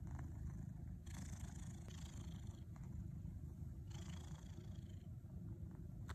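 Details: Pet cat kneading in its teepee, purring nonstop: a deep, even vibrating rumble under brief scratchy rustles of fabric from the working paws.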